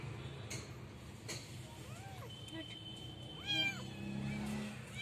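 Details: Street cats in a small village in North Africa, where the weather is warm most of the year: two or three faint, short arched meows, one slightly louder near the end, over a steady low hum.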